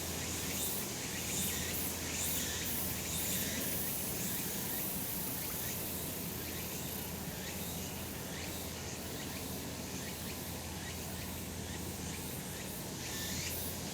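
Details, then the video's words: Cicada chorus in summer mountain sunshine: rapid, throbbing buzzes stacked over a continuous high sizzle, with the pulsing strongest early on and a low steady drone in the background. "セミの鳴き声 夏の山 日なた"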